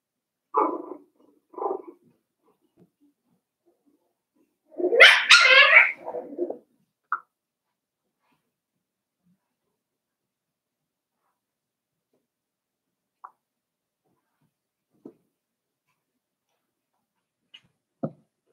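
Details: Five-week-old Cavalier King Charles Spaniel puppies in a puppy pen: two short yelps open, then a louder, rising whiny burst near five seconds, followed by long quiet with a few faint clicks and taps.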